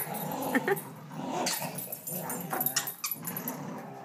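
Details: Rough, gravelly growling in uneven bursts as a young Rottweiler and an older ridgeback-chow-vizsla mix tussle in tug of war play, July 18, 2012, with scuffling and a few higher yips mixed in.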